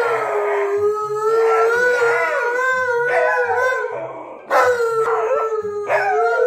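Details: Household dogs Monroe, an Alaskan Malamute, and Tonka, a Husky, howling around breakfast: steady, tonal wails with gentle pitch bends, broken into several overlapping phrases, with a louder renewed howl near the end and quiet music beneath.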